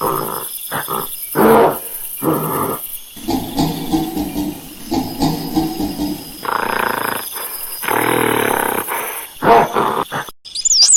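A monkey gives harsh, raspy bursts of screeching and grunting calls, one after another.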